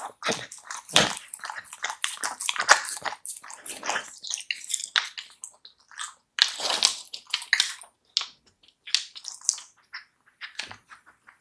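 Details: Raw meat being eaten by a Samoyed in a close-miked ASMR session: rapid sticky, crackling chews and licking clicks, dense and bright, broken by short quiet gaps, steady pace throughout.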